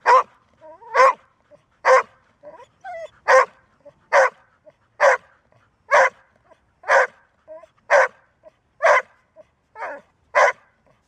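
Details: Golden Retriever, described as barking rarely but tirelessly once started, delivers a long, fairly regular series of loud barks roughly every second, with faint whines and soft sounds between barks.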